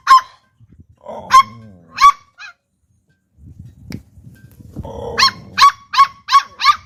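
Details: Pit Bull puppies, two of them, barking toward humans: scattered high, sharp yaps with a soft low whine between them, then a rapid burst of five clipped yaps at the end.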